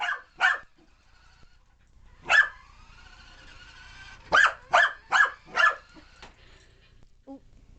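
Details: An excited puppy, Alphie, barks at a remote control car: two barks, one louder bark, then a quick run of four barks, with faint mechanical hum between them.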